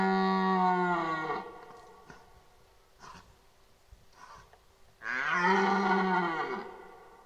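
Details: A red deer stag in the 2023 rut at Boutissaint natural park gives two deep, drawn-out bellows, each sinking at the end.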